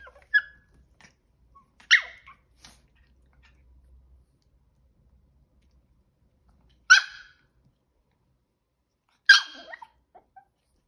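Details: Two 5-month-old male Chihuahua puppies during a failed attempt at stealing; four short, sharp high yips spread over about ten seconds, with long quiet gaps between them.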